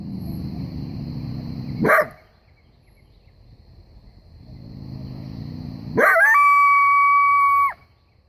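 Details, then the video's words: A common coyote in bright daytime sun gives a sharp bark, then another bark that runs into a long, steady howl. "Common coyote howling and barking in the bright in sun"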